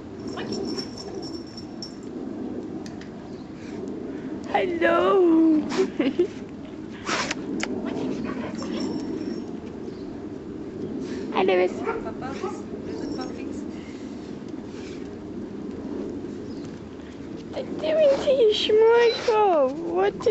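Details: Puppies six and a half weeks old give brief high, wavering whines that rise and fall, in two bursts about twelve seconds apart, while a person talks to them in a soft voice throughout.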